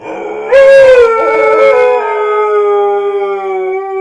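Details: In the morning, a Siberian Husky gives a long, sustained howl that holds a steady pitch and slowly falls.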